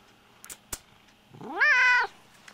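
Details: At bedtime a lynx hybrid house cat, one of several exotic pets heading off to bed, lets out a loud meow that slides upward, then holds a bright, even tone before stopping abruptly. A couple of sharp clicks come before it.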